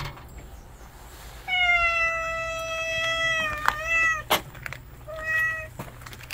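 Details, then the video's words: A stray cat that steals food from a house cat gives a long, steady, drawn-out meow ending in a wavering dip, then a sharp knock and a shorter meow, indoors with faint hum. "집고양이 밥을 뺏어먹는 양아치 길고양이"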